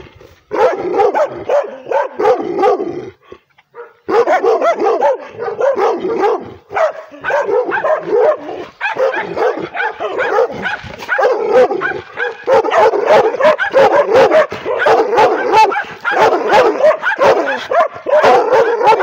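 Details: A female pit bull crossed with Redbone Coonhound barks aggressively at the camera; loud, near-continuous volleys of harsh, fast barks with only a couple of brief breaks.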